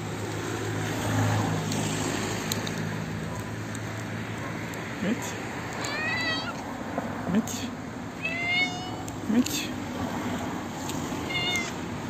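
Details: Elderly toothless stray she-cat, hungry and running up to be fed, gives rising, chirp-like meows every few seconds, mixed with human speech and steady street noise.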